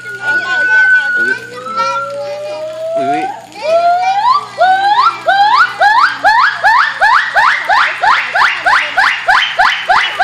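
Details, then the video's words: Two gibbons in chorus: a long, slowly rising whistle builds into an accelerating run of short upswept hoots, about three per second by the end, over a low mechanical hum. "Gibbon's Choir"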